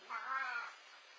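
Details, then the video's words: Feral cat Leo right before bedtime giving a single short, flat, harmonic meow lasting about half a second, then quiet background hum. "Here is how feral cat Leo sounds right before bedtime - MAOW!"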